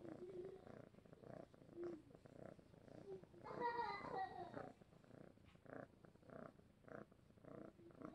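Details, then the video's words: Vageta, a spoiled male foster cat, purring contentedly while being petted the way he likes and carried like a baby; a steady, soft rhythmic purr pulsing about four times per second, with a brief higher tonal sound midway. "happy kitty purring for over a minute"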